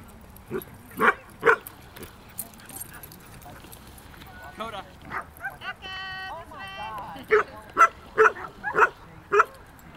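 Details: Two puppies, a 4-month-old border collie and a 5-month-old aussie-golden mix, playing together in a park; sharp barks in bursts at the start and end, with people talking and a high tonal sound in the middle.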